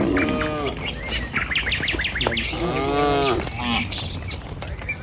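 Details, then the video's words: A morning herd of tame village cattle heading down the road to the pen: a short moo opens, followed by a longer, wavering low about three seconds in, amid busy high bird chirps. "Suara Sapi Moou Sepanjang Jalan Menuju Kandang"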